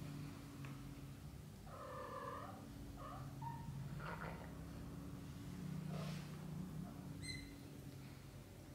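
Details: British Shorthair kittens in their first 30 days, from a litter of three males and one female, give short, thin, harmonic mews in a quick cluster, then a high faint squeak near the end, over a low steady indoor hum.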